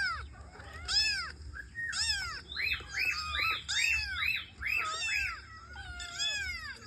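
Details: Several kittens answer a cat meowing sound with shrill, bowed mews, including a quick run of short rising-then-falling cries in the middle, and loud drawn-out calls roughly every second, over a low background hum.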